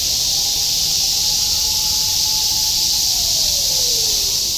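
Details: A dense, unbroken cicada chorus in Shinjuku, Tokyo, in 2016, a steady high-pitched hissing buzz filling the air.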